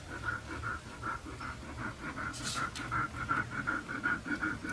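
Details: Red-coated Siberian husky puppies give a steady run of high, thin whimpering squeaks, about two or three each second, evenly spaced, with a brief scratchy rustle partway through.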